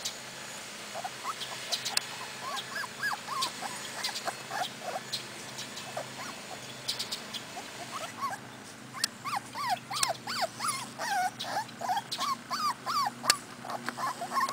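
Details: Outdoors in Sweden, four-week-old Cardigan Welsh Corgi puppies beside their mother whimper and yip, sparse thin cries at first, then denser overlapping squeals in the second half, mixed with sharp clicks and handling noises.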